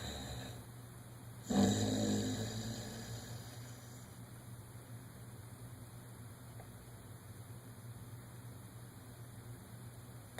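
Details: One-year-old dog Dodger dreaming in REM sleep lets out a single loud, rough snore that swells and fades over about two seconds, followed by quiet breathing and a constant low hum.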